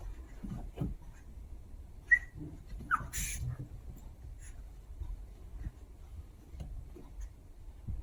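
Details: Two Chihuahua puppies at play indoors, giving two short, high squeaks a second apart amid soft scuffling, padding and breathing noises.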